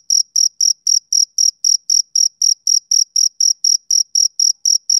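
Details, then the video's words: High, piercing pulses of a male cricket on a summer evening, repeated quickly and regularly, roughly four each second, with a faint ringing upper tone and silence between. "Cricket Chirping Sound Effect"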